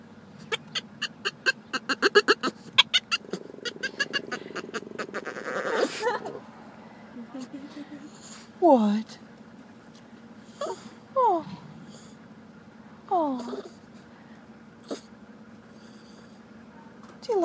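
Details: A Boston Terrier at a bank drive-thru chirps at another dog he wants to befriend, giving short, high, squeaky notes bending downward a couple of seconds apart. A person laughs and talks, and there is clattering early on.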